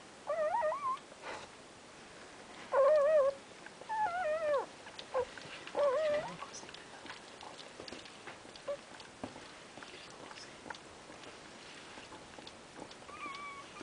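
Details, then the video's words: Terrier mix puppies with their mother: a handful of short, wavering, high whines in the first six seconds, followed by soft rustling and near quiet with one faint whine near the end. "Terrier Mix Welpen und Mama"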